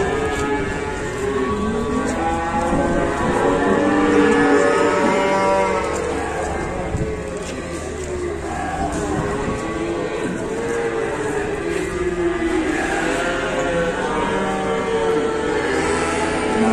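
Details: Several long, rolling moos from banteng cattle freshly unloaded from a truck at Pasar Pon market, Ambarawa, Indonesia, calling repeatedly over a noisy crowd of voices, with vehicle sounds.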